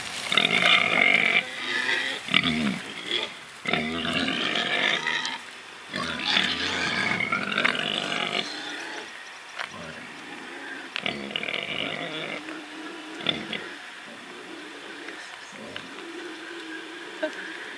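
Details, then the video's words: Pigs spared from slaughter and free to play, rooting and truffling: loud bursts of harsh, high squealing in the first half, easing into shorter scattered grunts and squeaks with quieter gaps later. "Awesome PIGS Squealing 🐖 Grunting 🐖 Rooting 🐖 Truffling 🐖 Oinking Piggie"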